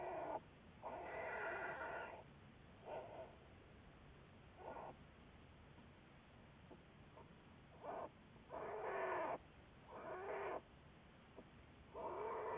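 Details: American black bear watched by researchers on February 10, 2014; intermittent nasal, whining bursts of one to two seconds, irregularly spaced with quiet gaps between them.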